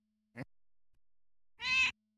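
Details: A tame neighbourhood female cat gives one short meow of about a third of a second, harmonic and slightly rising, after a faint click, in otherwise quiet surroundings.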